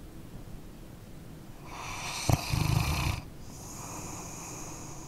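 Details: Snoring from a sleeping dog: soft breathing builds into one rattling snore with a sharp click near its start, about a second and a half long, then a gentle hissing exhale.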